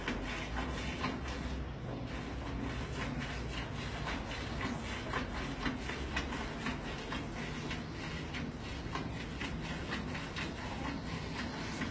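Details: Continuous rhythmic rubbing and streaming of milk over a low background rumble, with no animal voice.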